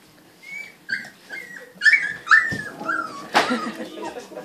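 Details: Three-week-old Siberian Husky pups play fighting: thin high whines and squeaky yips come in short bursts, with a few sharper yelps and rustling movement.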